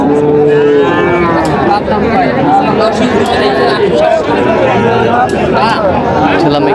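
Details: Young Sahiwal bull and heifer calves at a crowded cattle market in Natore, Bangladesh, on 5 July 2025. A steady, drawn-out moo opens the scene, followed by further bleating moos under constant crowd chatter and men talking.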